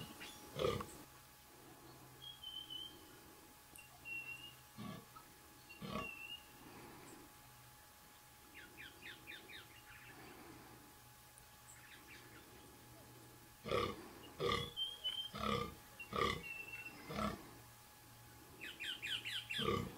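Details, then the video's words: Fallow deer during the 2014 rut; scattered deep belching groans in bursts, with high bird calls and trills overhead and a low steady hum beneath. "Fallow Deer Rut 2014"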